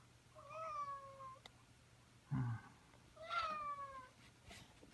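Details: A pet cat waking its owner at the same time each morning, whatever time the owner went to bed. Two drawn-out, slightly falling meows about two seconds apart, with a short low thump between them, indoors.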